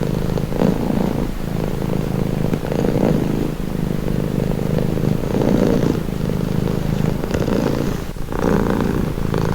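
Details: Close, continuous purring from a relaxed cat: a deep vibrating rumble in long waves, each inhale and exhale marked by a slight rise and dip in loudness. A brief soft rustle comes near the end.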